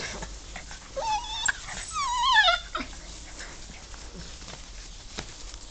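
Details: German Shorthaired Pointer puppies let out on long grass for the first time on an afternoon of 12 June 2014, exploring and playing; a high wavering whine rises, then slides downward over about a second and a half, with rustling and footsteps around it.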